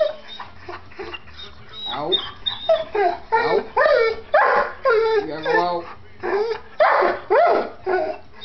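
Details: Two dogs, one small and one big, quarrelling over a chair that they both want: loud bursts of yowling, grumbling vocalizations with swooping pitch, repeated roughly every second, mixed with human voices.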